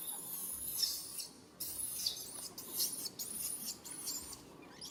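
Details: Baby monkey calling its mother for help: thin, high, arching squeals repeated in short bursts, sometimes in quick series, with a faint rustling background.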